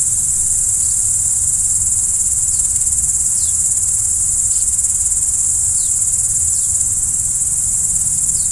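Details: Crickets chirping at night: a dense, unbroken high-pitched trill fills the whole stretch, with a few faint short downward-sliding chirps above it and a soft low rumble underneath.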